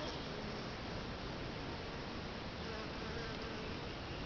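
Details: Bees gathering at a bait hive baited two days earlier with sugar water and lemongrass oil; a dense, steady swarm hum fills the whole clip without pause, with no other sounds standing out.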